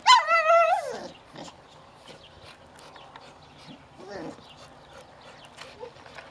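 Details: Angry at her dog toy, Cypress lets out one loud, high, wavering growl-whine lasting about a second, followed by soft scattered grumbles and a brief rising whimper near four seconds over quiet background.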